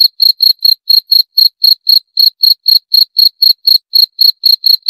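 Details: Sharp, high-pitched cricket chirps tick along at roughly four per second, evenly spaced apart from one brief skip midway, with nothing else audible.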